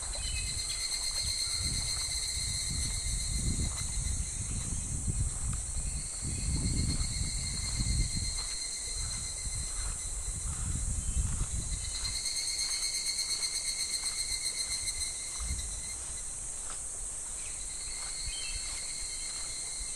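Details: July cicadas singing over a shallow, gently flowing clear river in midsummer: a sustained shrill buzzing chorus that swells slightly midway, with rhythmic ticking and surges of flowing water below.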